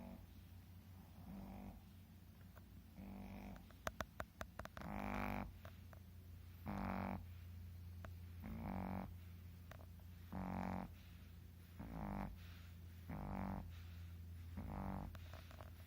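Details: Two Shih Tzu dogs snoring against each other in their sleep; steady rhythm of low, buzzy snores roughly every one and a half seconds, each a short rasping burst, with a few sharp taps early on over a constant low hum.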